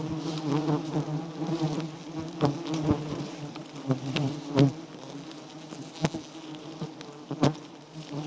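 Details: Giant honey bees at a small, white wild nest heavy with honey: a steady low droning hum runs throughout, broken by sharp knocks and crackling bursts.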